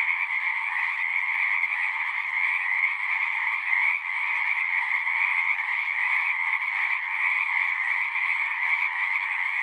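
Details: Dense chorus of frogs at a pond in a horse pasture, recorded with a Zoom recorder; many overlapping croaking trills form a steady band of sound with no pauses, a continuous high shimmer above, no other sounds.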